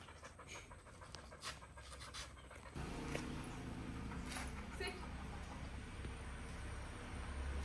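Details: Dog named Whisky from Koottupuzha panting during an obedience training session with sit, stay and come commands; rapid, breathy, rhythmic panting at about three to four breaths a second, preceded by a man's voice giving commands.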